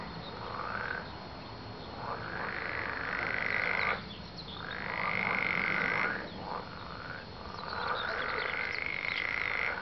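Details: Frogs calling, a drawn-out croaking chorus in long nasal bursts that swell and fade roughly every two to three seconds over a constant background hiss.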